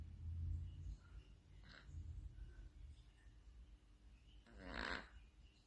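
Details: Domestic cat snoring softly: low, rumbling breaths rising and falling every second or two, with a brief brighter rustling noise near the end in a quiet room.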